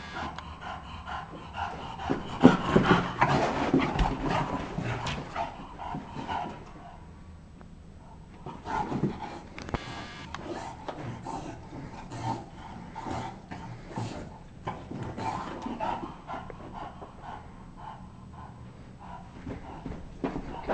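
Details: Bulldog at play indoors in a basement, giving harsh breathy pants and snorts in uneven clusters, loudest early on, then a quieter stretch before scuffling bursts and panting return.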